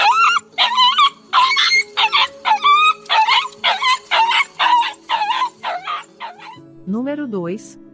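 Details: A dog crying in pain gives a rapid series of short yelping cries, about a dozen in eight seconds, each with a sharp rise and fall, ending with a drawn-out wavering whine.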